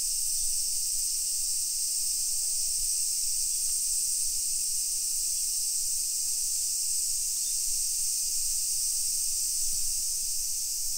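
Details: Loud summer cicada chorus along residential streets of Nisshin city, Aichi, Japan, 1 PM, 28 July 2021: a steady, piercing high buzz without breaks, plus a brief faint tone and soft thumps of footsteps.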